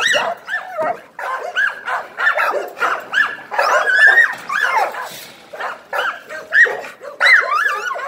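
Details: American Pit Bull Terrier giving rapid, sharp barks and yelps, short harmonic bursts packed closely with brief gaps, some rising whine-like notes near the end, with no other clear sounds.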